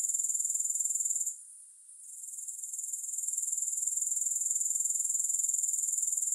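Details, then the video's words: Grasshoppers with no music: an even, piercing high trill of rapid pulses, about four per second, dipping quietly for under a second early on, then gradually returning to a full, regular drone. "Grass Hopper Sounds"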